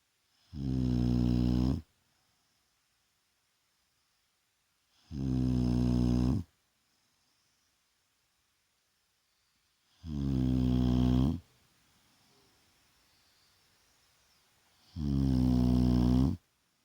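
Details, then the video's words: Shar Pei named Vaya snoring loudly through a daytime rest: four deep, rattling snores, each over a second long, evenly repeated about every five seconds, with near silence between. "Шарпей Вая храпит!"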